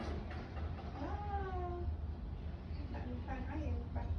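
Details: Domestic cat giving a couple of short harmonic meows that slide downward, followed by softer broken mewing near the end, over a steady low hum and background murmur.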